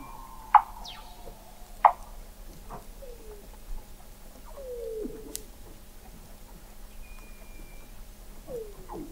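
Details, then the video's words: Weddell seal vocalizations recorded in November 2017 beneath McMurdo Sound sea ice, Antarctica, from an observatory 21 m down: two loud sharp chirps, then short descending glides and scattered clicks over a quiet underwater background. "Song of the Antarctic Weddell Seal"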